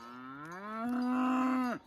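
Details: Angus cow on open pasture in a natural grazing herd, driven along by a herder; one deep, drawn-out moo that climbs slightly, then holds level before breaking off abruptly.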